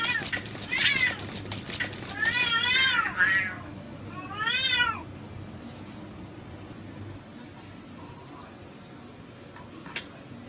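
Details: Two female cats fighting fiercely; several wavering, warbling yowls in quick succession over the first five seconds, rising and falling in pitch, followed by a quieter stretch with faint clicks and room noise.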